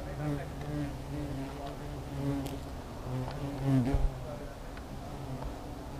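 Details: Hornet nest humming with many wings, a low steady drone rising into a louder, bending buzz near the end as individuals fly close, with small clicks between.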